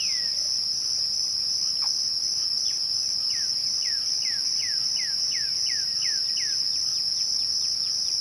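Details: Crickets trill continuously at twilight in an even, shrill tone. From about the third second, a regular run of descending whistled sweeps repeats roughly three times per second.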